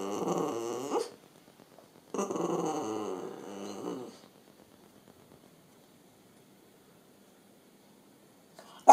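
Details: French Bulldog. A French Bulldog makes two long, throaty vocal bursts, a grumbling growl with whiny, rising and falling tones. A quiet room follows, ending with a brief sharp noise.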